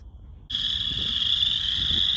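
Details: In a prairie pond in northern Illinois in March, a dense chorus of Western chorus frogs calls loudly, a continuous high trilling buzz that swells in suddenly.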